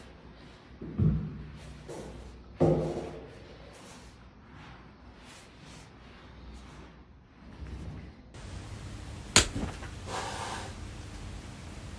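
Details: Several dull thumps and knocks in a room, then a sudden sharp whack with a brief whooshing rush and hollow background noise.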